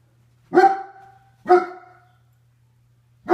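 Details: German Shepherd barking: two full barks about a second apart with a third starting at the end, each a sharp onset with a layered harmonic tail fading over half a second; faint steady low hum underneath.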